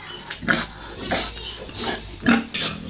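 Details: Pregnant sow with an injured leg, unwell and being coaxed to eat, making a series of five or six short rough grunts, irregularly spaced across a few seconds, with a steady background hiss.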